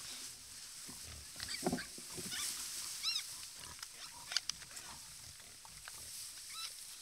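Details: A large group of wild boars drinking at a watering hole in the wild: arched, high-pitched squeals rise and fall in short bursts, mixed with low grunts and splashy rustling, over a steady hiss.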